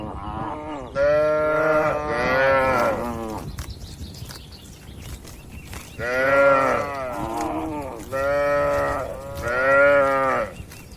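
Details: Cattle in a farm barn, healthy, tame and active, give long, loud, rich moos in two bursts, with some calls running together and a quieter pause mid-way, over low barn noise.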